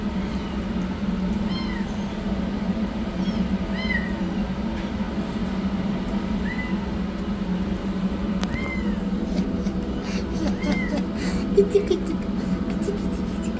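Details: Rescued yellow kitten running for food gives thin, faint meows spaced a couple of seconds apart, each a short rising-falling cry, against a constant low droning background.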